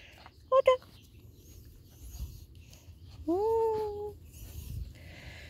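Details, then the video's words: Labrador Retriever puppy, one of a litter of seven, giving a short double yelp and then a drawn-out whine that rises and levels off; a quiet room otherwise. "Mittendrin bei den 7 Labrador Welpen Rabauken."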